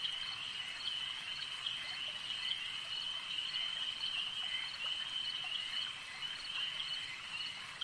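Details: Lakeside frog chorus: countless overlapping shrill croaks merge into a constant trilling drone, steady in loudness, with faint scattered clicks and no other clear sounds.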